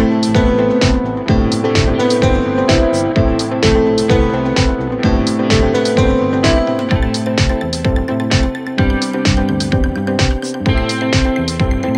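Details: Steady plucked guitar and electronic beat music playing throughout, with no animal voice present.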